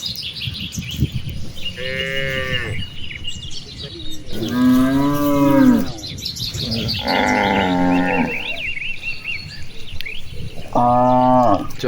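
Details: A herd of cattle grazing and playing in a wide rice field on an afternoon under a clear blue sky, calling back and forth. Four separate moos come about every three seconds, some drawn out and some rising, with bird chirps between them.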